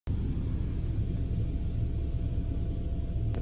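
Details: Continuous low vehicle-like rumble throughout, without any animal sound.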